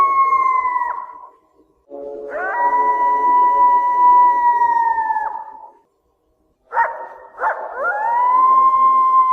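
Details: Howling of a coyote in heat: sustained, pure, level tones that each end in a falling slide, separated by pauses, the last howl beginning with two quick sharp rising yips.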